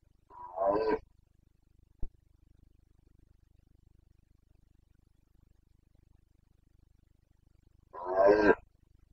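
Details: Carpathian red deer stag roaring in the Bucovina mountains in the September 2022 rutting season; two powerful harsh bellows about seven seconds apart, a single sharp click between them, otherwise quiet.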